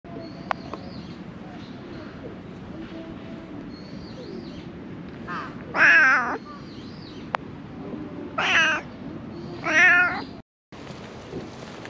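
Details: Stray cat living among discarded rubbish, meowing three times in short harmonic calls around the sixth, eighth and tenth seconds, with faint chirping and low background rumble between.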